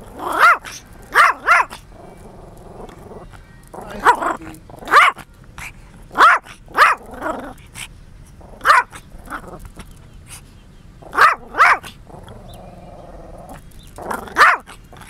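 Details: A dog barks in short sharp bursts, often in pairs or threes, separated by pauses of one to two seconds, with a low rumbling growl between some volleys; a person calls to it beforehand.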